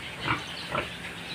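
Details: Pig on a Philippine backyard farm where a short, low-bodied sow is kept for breeding piglets; two quick, harsh squealing bursts about half a second apart over a steady hiss of background noise.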